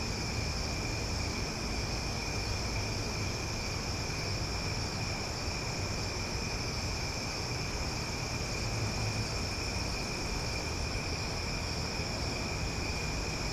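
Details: Summer night in Omaha with many cicadas calling at once: an even, sustained high-pitched droning in stacked tones, unchanging throughout, backed by a broad low rumble like distant traffic.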